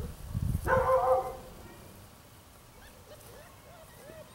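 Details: Belgian Malinois puppies, 31 days old, from an Arizona litter of six males and three females born December 18 and recorded January 18, 2014: one sharp, harmonic-rich yelp, then soft, wavering whines trailing off near the end.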